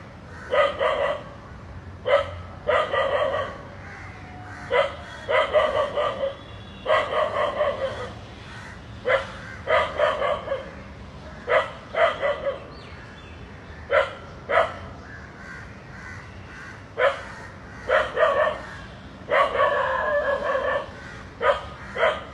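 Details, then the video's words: Dog barking at two snakes intertwined; repeated sharp harmonic barks in bursts of one to three, roughly every one to two seconds, against a steady low background hum. "A Dog Is Barking Seeing Two Snakes Hugging"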